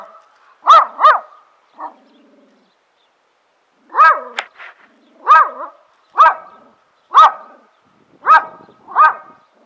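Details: A very large neighbour's dog, about 160 pounds, barking while watching someone film him: deep, strong woofs in pairs and singles, roughly eight barks spaced about a second apart, with a brief human voice before.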